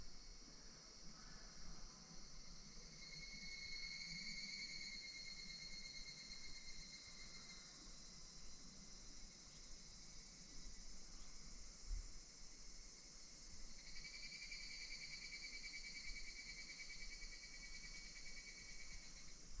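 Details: Higurashi cicadas in August 2026 at Minoo Park, Kawachinagano or Koyasan: a high, shimmering metallic chorus that swells into pulsing phrases near the start and again two-thirds through, over a steady low rumble.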